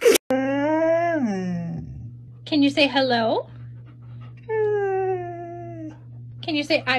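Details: Siberian Husky talking in vocal bursts: drawn-out falling moans, then rough rising yowls and a steadier whining wail, over a constant low electrical hum with a person's voice around them.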